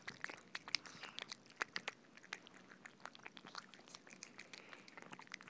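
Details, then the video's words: Cats feeding on soft food: sharp, sticky lip smacks and tongue clicks coming several per second in an uneven patter, with quiet room tone underneath. "Cats eating Soft Food ASMR - Feeding Cats - Cat Eating Sound"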